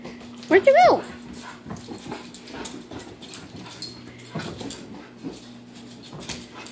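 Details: American Bulldog named Pepper on an early morning run indoors: a short, high, wavering whine in the first second, followed by continuous scrabbling, padding and movement noise in a small room.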